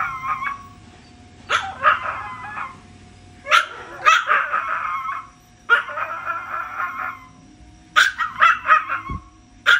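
A small dog, a Chihuahua, is crying with thin, nasal whimpers that waver up and down. The whines come in short clustered bursts, each lasting about a second, with brief quiet gaps between them.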